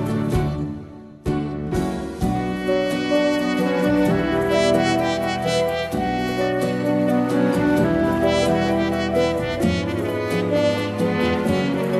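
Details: Sustained brass-band music with layered horns and a steady beat fills the whole recording, with no animal voices audible.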